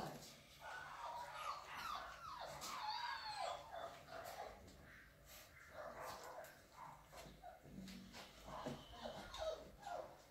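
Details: Alaskan Malamute puppy, 33 days old, filmed as part of a growth record; high, wavering whines and short yelps come in repeated bursts, overlapping with human talking in the background.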